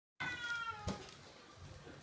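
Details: Indoor cat meowing at a cat-shaped balloon: a single drawn-out harmonic cry lasting most of a second, then fading, with a brief knock partway through.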